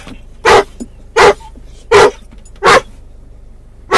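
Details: A muzzled doberman/collie cross called Mungle barking for his missing toy while riding in a car: evenly spaced heavy barks, about one every three quarters of a second, with faint vehicle noise between.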